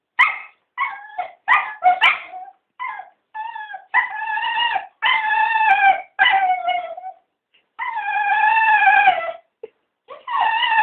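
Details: Three Cocker Spaniels begging to be taken for a walk: drawn-out, wavering howl-like whines in quick succession, some rising and falling like talking, interspersed with short yips and brief pauses.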